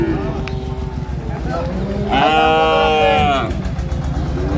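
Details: Improved-breed dairy cow at Ambari Haat livestock market, Dinajpur, 9/3/25: a single loud, rich moo of over a second that arches up and down, with men talking about calves nearby and constant market bustle.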